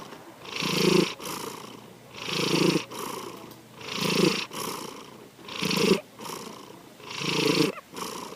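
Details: Sankichi the cat snoring in sleep, five even rasping breaths, each rising into a gravelly rumble then easing off, repeating about every 1.6 seconds.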